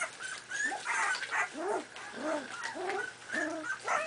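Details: Four-and-a-half-week-old Miniature Pinscher puppies at play. Soft, arched, whining yelps rise and fall, repeated roughly every half second, over quieter high squeaks and faint background noise.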